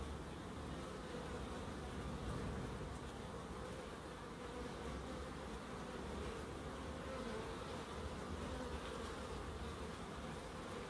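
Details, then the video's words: Low, even drone of bees foraging in a small garden in Crookes, an unbroken hum of wingbeats holding steady throughout with no other sounds standing out. "1hr of Relaxing Bees"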